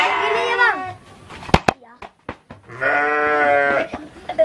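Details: Garut sheep at a fighting-ram farm in Dangiang, Cilawu, Garut, West Java: a wavering, harmonic bleat opens, sharp knocks follow, then a longer, steadier bleat, with voices in the crowd.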